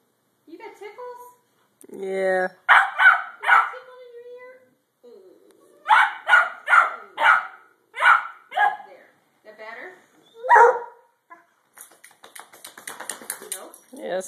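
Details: Pair of Redbone Coonhounds at play; a person speaks first, then bursts of loud barks come in short runs of two to four with pauses between, ending in scuffling play noise.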